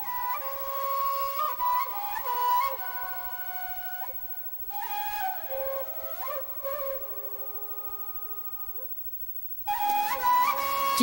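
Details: A solo flute plays a gliding, ornamented melody in a small room, pausing briefly before a louder phrase starts near the end, with no dog sounds.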